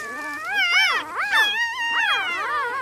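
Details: Loud close-up squealing from newborn puppies with their mother Misty: strong, high arching whines, three or four swelling cries in under three seconds, clear against a quiet background.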